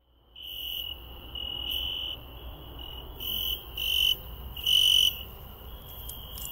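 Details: A cricket heard on a night walk through a garden: a steady, high-pitched ringing trill, swelling louder in bursts of about half a second near the end, over faint background hiss.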